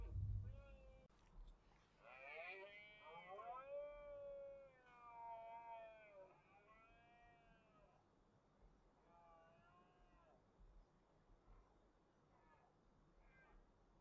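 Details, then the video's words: Autumn rut of red deer in Spain's Cantabrian range, 2023: a stag gives a series of drawn-out harmonic bellows, the first loud and wavering, later ones shorter and fainter, with a thump at the start. "Berrea del ciervo en la cordillera cantábrica"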